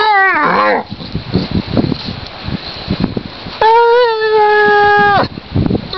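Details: Basset hound wailing happily while wallowing on a lakeside in spring. It opens with a short falling yowl, then rustling and snuffling, then a steady, held wail lasting about a second and a half before more shuffling.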